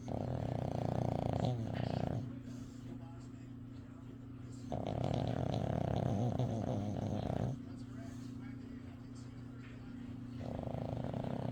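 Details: Sleeping dog snoring: long, raspy, rumbling breaths about two to three seconds each, returning roughly every five to six seconds, separated by quieter stretches, over a steady low electrical-sounding hum.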